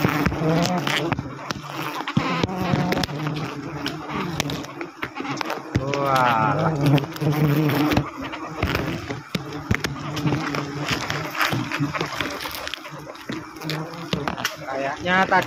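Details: Wild forest honey bees during a wild honey harvest, a low, steady droning hum running through the whole stretch, overlaid by bursts of human speech and sharp clattering handling noises.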